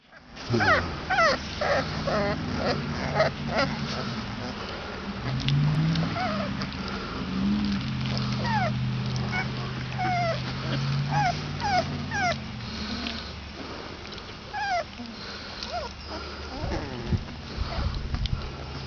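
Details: 22-day-old Basset Hound puppies give a steady stream of thin, squeaky whimpers and yips, often overlapping.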